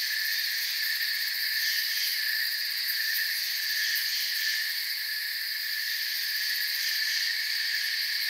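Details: A steady cricket chorus heard as forest sound: high, dense, ringing trills layered in bands, with loose pulses of about ninety per minute in the top register and an even, uninterrupted level.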